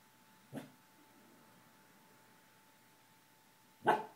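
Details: Gordie, a pet dog indoors, barking at someone passing in the hall: two single sharp barks about three seconds apart, the first faint and short, the second louder, over a quiet room with a steady electrical hum.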